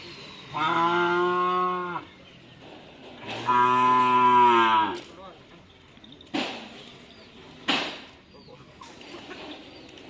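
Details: Cattle at a bull-racing (karapan sapi) training session in Madura, Indonesia, lowing; two long, harmonic moos about one and a half seconds each, followed by sharp knocks and a brief voice.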